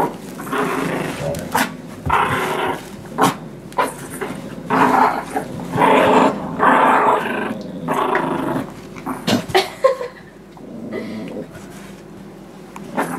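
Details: Play growling from Nibbler, a 9-month-old blue Doberman pinscher, tugging against Biscuit, a 6 lb miniature Shorkie (Shih Tzu–Yorkie): rough, buzzy bursts in irregular runs, separated by short pauses and scuffling.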